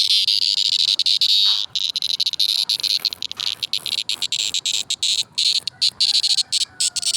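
A cricket gives a dense, high-pitched buzzing trill that runs steadily with brief breaks.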